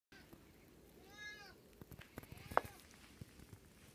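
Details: Black domestic cat, indoors during a snowy Long Island winter, gives a single rising-then-falling meow about half a second long, harmonic and clear, followed by soft clicks and rustling.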